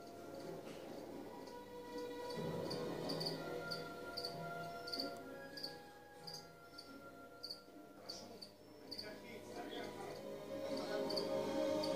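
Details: Crickets filmed at close range, giving sharp high-pitched chirps repeated about two to three times a second throughout, over a steady low hum and faint tonal background lines.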